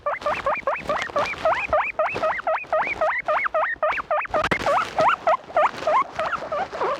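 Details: Guinea pigs making loud noises: a long, steady run of shrill rising squeals, about three to four per second, each sweeping upward, with some rustling and clatter in the background.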